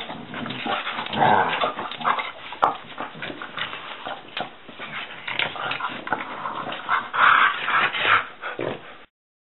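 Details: A French Bulldog starting his day in the morning whines and grumbles in short, nasal bursts with a few higher yips.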